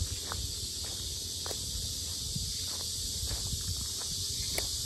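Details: At Asan's Sinjeongho Lake lotus park, loud cicadas keep up a constant high-pitched buzzing hiss, with soft footsteps and occasional light clicks underneath.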